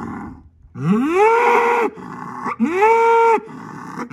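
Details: Angus bull in a barnyard bellowing to let two other bulls across the yard know he is the boss; two loud drawn-out moos, each sliding upward then held steady with rich harmonics, the first over a second long, the second slightly shorter.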